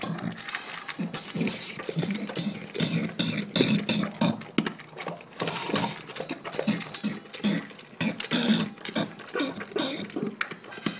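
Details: Shaft, an English Bulldog, inhaling his dinner: rapid, irregular crunching and wet slurping clicks in dense bursts, with hardly a pause throughout.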